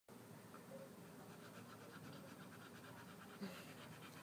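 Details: Pit bull named Hunter fighting sleep after a walk and run. Soft, rapid, evenly spaced panting breaths sit under a steady background hiss, with one small knock near the end.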